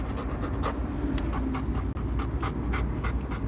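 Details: Coco, a Labrador Retriever, pants in quick rhythmic breaths, about three or four each second, over a steady low rumble like a moving vehicle.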